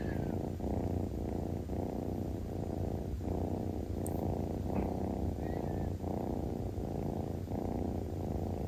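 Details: Kitten lying in the sunshine, relaxed and purring: continuous deep rumble broken into regular breathing pulses about every half second, a faint brief squeak partway through, otherwise quiet.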